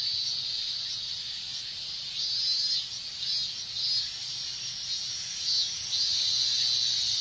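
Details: Cicada chorus on a hot Japanese summer day: a dense, continuous high buzzing that swells and fades in pulses roughly every second, with no other sounds.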